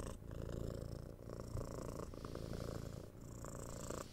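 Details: Purring six-month-old kitten being cuddled and scratched; loud, close, steady low rumble with pulsing rhythm, brief dips as breaths turn over.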